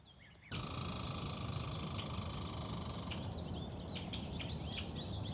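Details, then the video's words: A female American red squirrel living in a Minnesota backyard gives its distinctive fast, dry, high-pitched rattling chatter, like a machine gun on helium. "red squirrels have this distinctive call that sounds a bit like a machine gun on helium"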